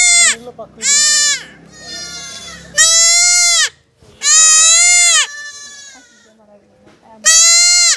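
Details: Young goat crying out during castration, giving a series of loud, drawn-out, nasal bleats of varying length, with soft human voices and handling noises in the pauses.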